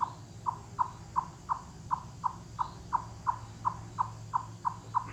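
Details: Chipmunk giving loud cluck or wood-knocking calls in forested mountains, calling with full body involvement; short hollow knocks repeated about three times per second, fifteen in a steady series, over a low rumbling background.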